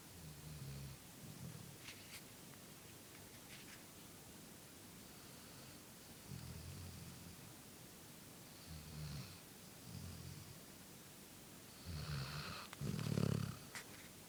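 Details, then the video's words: Shelby, a female golden retriever, napping on a couch: soft, low, rumbling snores recurring every few seconds over steady background hiss, the last one louder and snortier. "Cute puppy snoring!"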